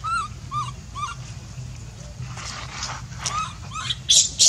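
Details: Hungry baby monkey named Leo crying for its mother's milk: a run of short, evenly spaced whining notes that bend up then down, followed by breathy squeaks and two sharp, very high shrieks at the end over a low background hum.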